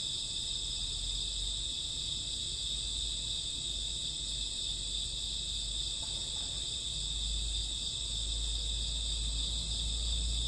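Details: Night-time crickets in summer or autumn keep up a constant high, ringing chorus of several overlapping pitches, unbroken for the whole stretch, over a soft low background hum.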